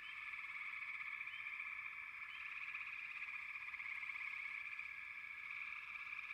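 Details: Continuous chorus of many frogs, a thick buzzing wall of sound, with only two or three faint higher chirps near the start.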